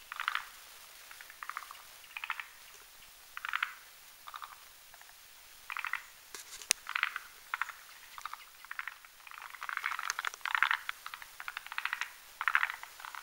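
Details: Forest green tree frogs, males and females, croaking at night on a branch over a marshy mountain pond while whipping up a foam nest to spawn; short rattling croaks repeated roughly every second in bursts, some overlapping callers.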